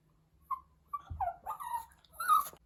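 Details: A Pomeranian puppy gives short, wavering, mid-pitched howls that bend up and down, broken by soft whimpers and whines, calling out while missing its absent owner.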